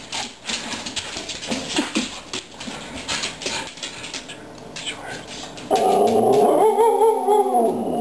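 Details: Pet dog yodelling for treats, one of two dogs named Aggie and Hailey: after several seconds of quiet shuffling and faint voices, a loud wavering, harmonic howl-like yodel with rising and falling pitch fills the last two seconds.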